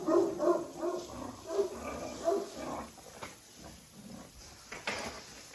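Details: Jack Russell Terrier Oscar producing quick, rough growl-barks repeated about every half second for the first two and a half seconds, then quieter grumbles and a few clicks.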